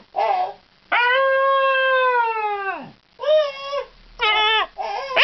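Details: A male Scottish Terrier gives a long, drawn-out howl, then shorter yodelling, talk-like vocalizations as a greeting, as if trying to say "hello".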